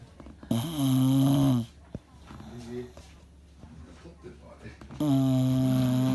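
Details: Sleeping bulldog snoring loudly indoors, its snore said to be as loud as noise: two long, rasping, harmonic snorts of about a second each, separated by quieter breathing and small rustles.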